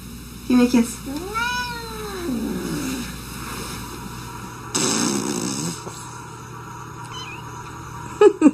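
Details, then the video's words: Pet cat that dislikes being kissed gives one rising-then-falling meow early on, followed by quieter room noise, a brief rustling burst and a couple of short sharp sounds at the end. "Cats just don't like petting and kisses"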